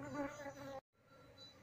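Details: Asian honey bees (Apis cerana) from a wild colony that nested beneath a septic tank, being moved into a hive box. A dense, even buzzing hum with stacked overtones fills the first moment, then cuts off abruptly, leaving a faint background.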